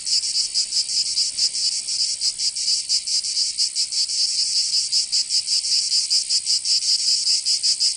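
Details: Provençal cicadas singing in summer, southern France: shrill buzzing wall of sound with slightly uneven pulses, around two to three per second, over eight seconds of unbroken chorus.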